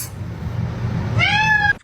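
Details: Domestic cat (kitten) (Felis catus), meow.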